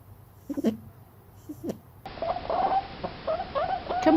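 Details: Rabbit; complaining grunts; expressing displeasure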